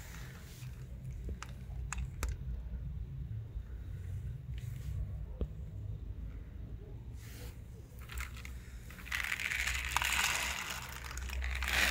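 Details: Crinkling and crackling handling noise over a low indoor hum, with faint speech and a brief hiss of louder rustling near the end.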